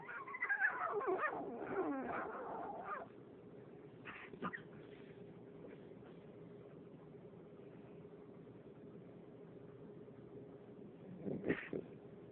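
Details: Female French bulldog wanting play and attention, starting with about three seconds of quivering, wavering whimpers, then mostly quiet room sound broken by two brief squeaky yelps.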